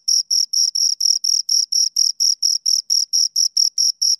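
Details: A pair of crickets chirping near the microphone, sharp high-pitched pulses repeating roughly four times a second in a steady, slightly uneven rhythm, otherwise quiet.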